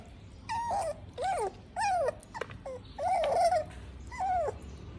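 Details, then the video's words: Pug puppy crying while eating: five drawn-out, nasal whimpers that rise then fall, each under a second long, spaced roughly a second apart, with a faint click between them. "puppy eating and crying"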